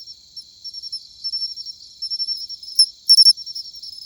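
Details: Matsumushi cricket in autumn, high ringing notes rising in loudness, a soft pulsing trill ending in a sharp burst of three bright chirps.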